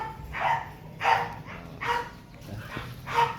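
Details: An American Bully dog gives four short, tonal, yelping barks, evenly spaced about every two-thirds of a second, with a faint low hum underneath.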